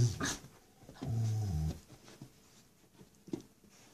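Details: Female Rottweiler puppy aged six weeks tugging against her mother in play: a couple of short deep growls, then quiet with faint shuffling.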